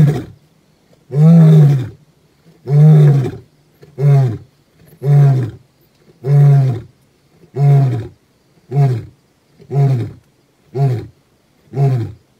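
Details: Gomondwane, a wild male lion, recorded 28 September 2023: a sequence of about eleven deep grunting roars, the first long and loud, then shorter grunts coming faster, roughly one per second, in an otherwise quiet setting.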